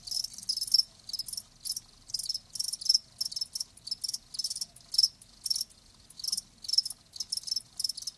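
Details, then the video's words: Chirping of live crickets: distinct high pulsed chirps repeated about twice per second in an even rhythm. "Live Crickets 60min "Natural Sound""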